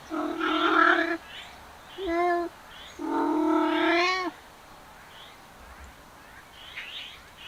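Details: Male cats trailing a female give loud, nasal yowls: a long wail, a short bent note, then a sustained, tense howl that slides upward, followed by faint chirping birds in the background.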